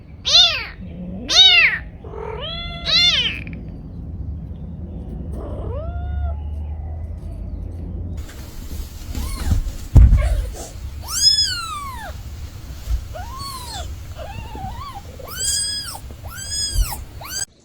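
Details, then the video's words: Aggressive mother cat guarding her kitten calls in loud arched harmonic meows, a burst of three early, then repeated meows every second or so after a quiet stretch, with low rumbling handling noise beneath. "Aggressive mother cat protects her baby"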